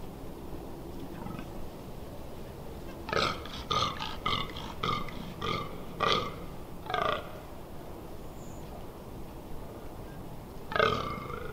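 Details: A fallow deer rutting in the Amsterdamse Waterleiding Duinen on 18 October 2021 gives a rapid series of about eight harsh, belching groans, then falls silent before one final loud groan.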